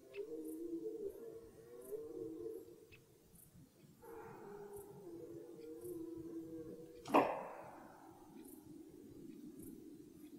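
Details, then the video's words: Red deer stag during the early rut in the forest, giving two long, harmonic bellowing roars in a row, deep and groaning, followed by a sharp crack or knock and a fainter trailing moan. "Die Hirschbrunft beginnt"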